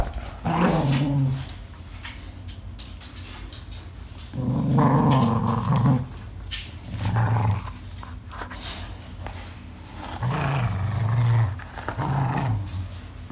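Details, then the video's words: Angry growls from an English Cocker Spaniel at play indoors: several separate low growling bursts, one longer louder snarl in the middle, with rustling and handling noises between them. "Angry Cocker worse than Doberman"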